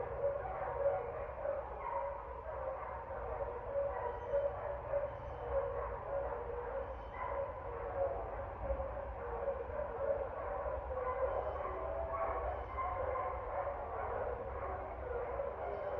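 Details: Dogs barking on 30 September 2024, heard as muffled, uneven bursts of barks, roughly one to two each second, with brief pauses between runs. A constant low hum runs underneath.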